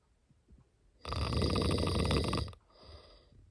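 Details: A cat asleep lets out one long, harsh snore lasting about a second and a half, a loud rattling rumble with a hissy top, followed by a softer exhale.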